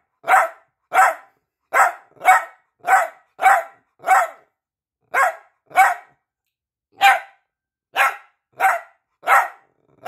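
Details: Piebald Dachshund Peanut barks for attention: about fifteen high, sharp yaps, clustered in quick runs with brief pauses, loud and persistent.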